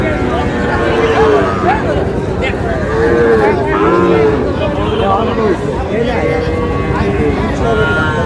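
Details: Sahiwal bull calves bought by a farmer in Sylhet, Bangladesh, 22 May: several overlapping low moos rise and fall in arcs, around the first, third and fourth seconds. Fainter lowing continues throughout against a steady crowd and background murmur.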